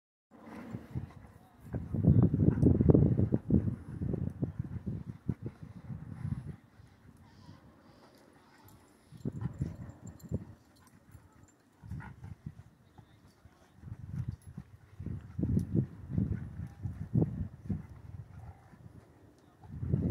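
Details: A Rottweiler growls in deep, rumbling bursts during gentle rough play with another large dog at a dog park.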